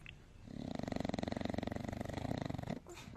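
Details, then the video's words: Pet dog snoring loudly and comically, a continuous buzzy rattling snore with fast regular pulses lasting over two seconds, low-pitched and rough, then cutting off with a short breathy noise. "Пес смешно храпит!"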